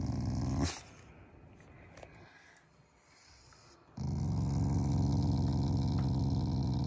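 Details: Affectionate morning growling from a pet Shiba Inu that is not angry: after a short sharp noise and a quiet stretch, a steady deep rumbling growl starts and carries on for the last three seconds.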